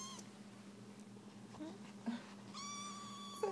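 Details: Three-week-old foster kitten, indoors, hunting for a nipple and going for the blanket: thin high mews, a brief one early, then a longer level whistled mew near the end, over a constant low electrical hum.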